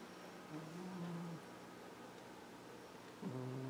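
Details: Jupiter, a pet cat, snoring while asleep in his bed on the window: two soft, low droning breaths, one lasting under a second near the start and another beginning just before the end, in a quiet room.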